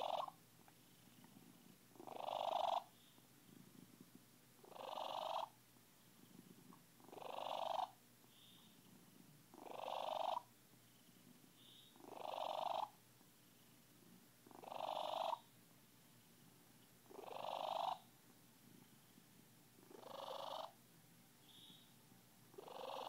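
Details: Miranda the Siamese, a contented cat, purring in a long, very even rhythm: about ten breathy, grating surges, each lasting under a second and repeating every two to two and a half seconds, against a quiet background.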